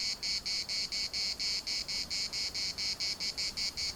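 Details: Cicada chorus from the municipal park in Larnaca, Cyprus: shrill, metallic buzzing bursts repeating about twice a second, loud and steady with little other sound.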